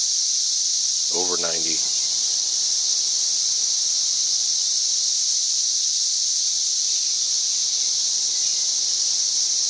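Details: A cicada singing at over 90 decibels, May 31, 2024, produces a sustained piercing hiss that never wavers, while a person speaks briefly near the start over the insect's drone.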